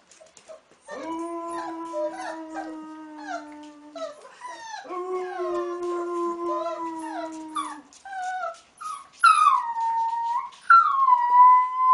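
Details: A wolf pup learning to howl alongside a man: two long, even, low human howls, then the pup answers with loud, higher, quavering howls that rise and bend near the end.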